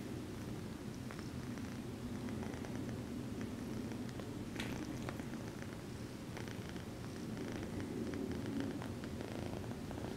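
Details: Continuous low purring from Choco Ball, a sweet exotic shorthair kitten returning affection by kneading her human after petting, with faint scratchy contact sounds and a short brushing noise near the middle.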